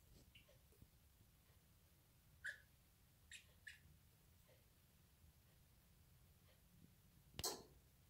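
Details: Pet degu making an odd squeaking noise, recorded January 5, 2019: a few short, soft high squeaks near the middle, then a sharp click-like burst near the end, over a steady low hum.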